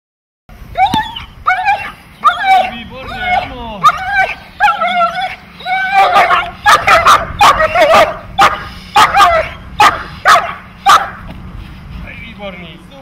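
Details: A dog in protection training, from a group of German Shepherds, Malinois and other breeds, barks rapidly and forcefully, sharp harsh barks repeated in quick bursts about twice a second, growing denser and louder through the middle.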